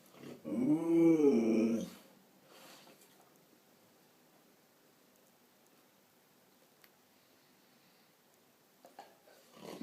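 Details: Pet Siberian Husky inside a small room, talking to its owner in the bathroom. One expressive, yodelling moan that bends up and down for over a second, then quiet room tone with light bumps and rustling.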